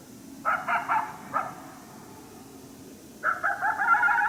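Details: Unseen coyote near St-Andrews, 1 March 2019, unhappy about a person nearby: a few sharp barks, a pause, then a longer wavering yelping bark.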